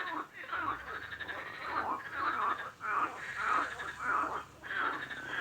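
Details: Frog croaks repeated about a hundred times a minute in an uneven rhythm, each a harsh, harmonic rasp, with several callers overlapping.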